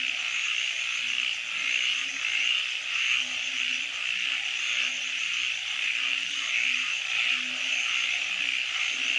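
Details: Frogs at night form a thick, high, buzzing chorus, while low short croaks pulse along unevenly, about one and a half per second, throughout.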